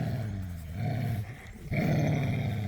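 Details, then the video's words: Dogs, pit bulls and a Belgian Malinois, romping and playing tug of war in a yard: a deep, sustained rumbling growl in two long stretches, broken by a short pause, with faint background voices. "The Sounds of Snarling, Growling and Squeaking"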